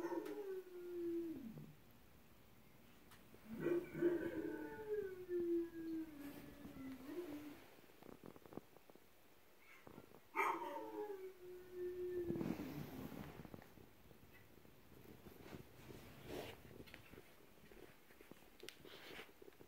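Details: Pet dog howling in response to a howl chain: long wavering tonal howls sliding down from about 400 to 300, three main bouts near 0, 3.5 and 10 seconds, with faint background noises between.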